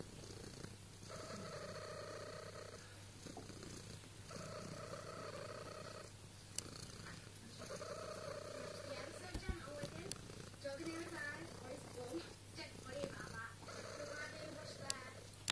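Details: Ginger female cat, one of twin littermates, purring indoors with a warbling, pigeon-like cooing quality; steady low rumble throughout with rhythmic rising and falling pulses, a short spoken phrase nearby.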